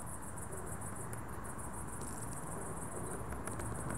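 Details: Dusk cricket chorus of shrill, fast-repeating chirps, roughly four pulses a second, steady throughout with a low ambient hum underneath.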